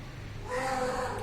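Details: Domestic cat giving a single meow, a steady tonal note starting about halfway through and holding to the end, with faint background hum and nearby speech.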